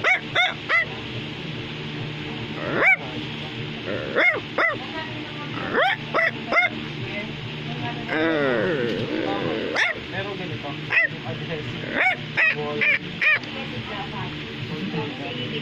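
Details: Bichon Frisé, a toy dog breed, indoors while another dog, Baloo, is being praised. Short, sharp, arched barks come singly and in small bursts at irregular intervals, over steady background music and occasional speech.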